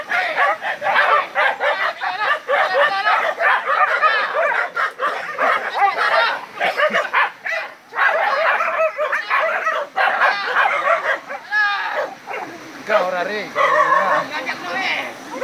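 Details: Village dogs in a fight against a wild boar: dense, frantic barking and yelping that overlaps almost without pause, harsh and mid-pitched, swelling and dipping in bursts, with a few higher whining yelps near the end.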